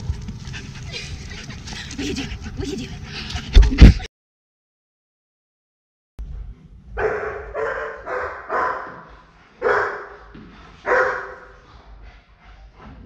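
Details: German Shepherd named Tuna, an aggression case in training, barking in short bursts about one per second after a few seconds of silence, preceded by a stretch of talking and background noise.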